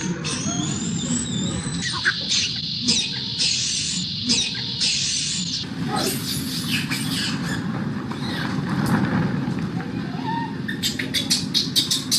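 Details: Baby macaque that has lost its temper, jumping and crying: shrill, high squealing cries in a run of short bursts, then a second run of harsh screams, over a steady low rumble of traffic.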